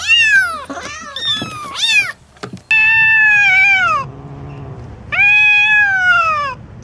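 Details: Domestic cat giving a string of meows: short rising-falling mews, then two long level meows each about a second and a half, separated by a brief low murmur and clicks.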